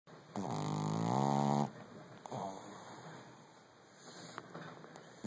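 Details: A Brussels Griffon dog asleep in REM sleep snores loudly indoors: one long, harmonic, nasal rasp lasting over a second that rises slightly in pitch near its end, followed by quieter, soft breathing and a steady background hum.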